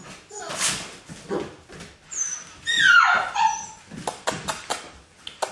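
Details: Playing puppies indoors: one gives a loud, high whining yelp that slides downward in pitch midway, surrounded by scuffling, thumps and brief soft voices.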